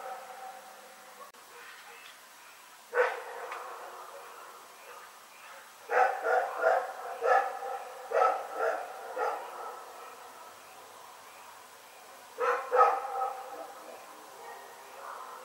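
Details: Night barking by Rex the dog at Pyrga, February 27, 2018: a single bark, then a rapid run of about eight harsh barks, a pause, and a short double bark. Still, quiet surroundings.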